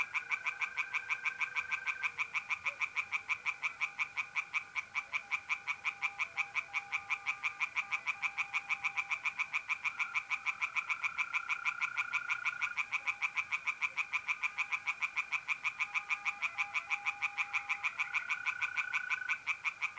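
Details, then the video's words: Nighttime pond chorus of tree frogs in North-East Italy in the middle of April. Dense, unbroken rattling croaks pulse quickly and evenly throughout, layered with the continuous buzzing trill of mole crickets. "relaxing singing tree frogs in pond"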